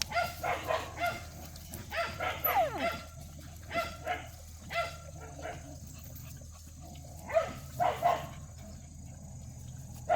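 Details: Jindo puppies at play, yapping in short, high barks that come in quick bursts, about a dozen yips over ten seconds with brief pauses, over a steady low hum.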